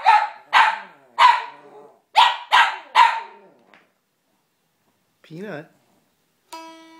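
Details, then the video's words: Dog upset by guitar playing gives six loud, harsh barks in quick succession, then a short wavering whine; a strummed guitar chord rings out near the end. "Dog hates guitar"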